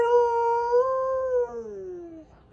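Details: A Siberian Husky "talking" and saying I love you: one long, smooth, tonal howl-like vocalisation, level at first, rising slightly, then gliding downward and fading over about two and a half seconds.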